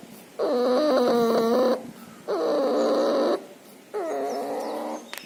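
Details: Puppy suffering pneumonia and distemper, nasal discharge present: three drawn-out wheezing breaths with clear whistled tones inside the rasp, each about 1.3 seconds long, spaced by quieter pauses, a faint click near the end.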